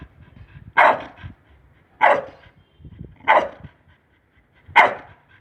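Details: Pit bull dog during obedience training on voice commands, giving four loud, sharp, harsh barks spaced about one to one and a half seconds apart, with near silence between them.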